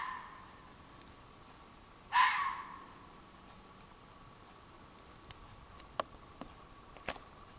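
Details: Red fox calling at night on July 23, 2015, from woods behind a flower garden, loud and eerie: a single harsh, hoarse scream-like bark lasting about half a second, then quiet with a faint steady hum and a few scattered clicks.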